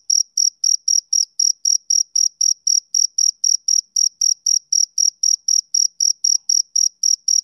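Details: Soothing chirping of a male cricket on a summer evening, crisp high-pitched pulses repeating at a quick, even pace, about four per second, alone in stillness.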